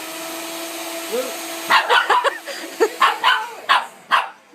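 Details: Dog Pepper chases a "vacuum": a steady droning vacuum-like hum, then from the midpoint a run of about eight quick, clipped barks roughly every half second, with a brief human voice.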